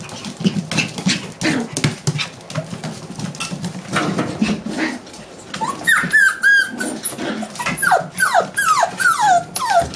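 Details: Six-week-old Coffee puppies: low, throbbing growls for the first half, then a run of sharp, descending yelps and whines repeated roughly every half second, with tapping and movement noises throughout.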